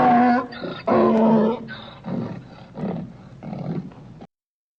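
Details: Donkey bray: a loud, grating hee-haw opening with two strong rasping blasts, then trailing off into several weaker, wheezy, breathy gasps before stopping abruptly.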